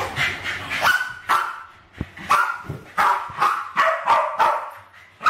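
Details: West Highland White Terriers Alfie and Crystal, two dogs aged around 7 and 8, trying to kill balloons in a kitchen in 2012; a shuffling start, then loud ringing barks spaced about half a second apart.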